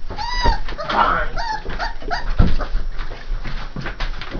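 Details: Saint Bernard puppies aged three and a half weeks: a few brief, high whining squeals rise and fall among human speech and thumping sounds.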